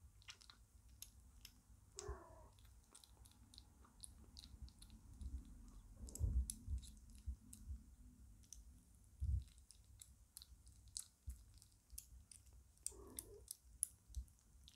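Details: Lucy, a five-week-old British Shorthair kitten and a big eater, chews food indoors: rapid sharp crunching clicks throughout, with a few low thuds and brief muffled sounds.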